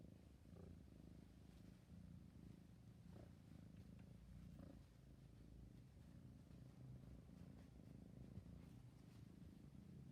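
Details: Low steady purring from a sleepy kitten, soft rumbling pulses throughout with a few faint light clicks scattered over the recording.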